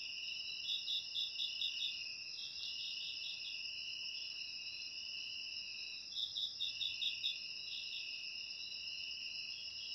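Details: Crickets used as ASMR sound to drive off rats: an unbroken high-pitched trilling bed carries two runs of fast, evenly spaced pulsed chirps, one early and one around the sixth to seventh second.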